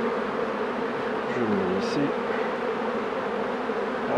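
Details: Honey bees humming steadily around hives during beekeeping work, a dense continuous low drone with a steady pitch and faint human voice traces in the background.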